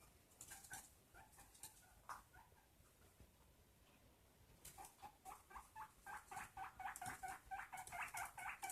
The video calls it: My guinea pig fluffster making noises